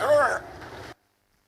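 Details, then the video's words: Harbor seal raised by a man like a dog, later handed to an animal shelter, imitating human speech such as "come over here" through vocal learning: a short wavering, voice-like moan with gliding tones, then a lower murmur, then silence. "Esto que estáis escuchando es una foca de puerto."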